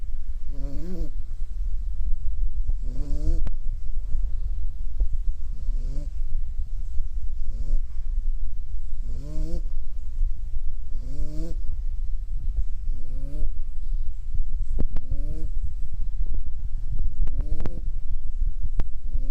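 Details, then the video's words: Sleeping puppy giving repeated short, wavering nasal snores roughly every two seconds over a steady low rumble of background noise. "Hey I Am going to catch some zzzzss..."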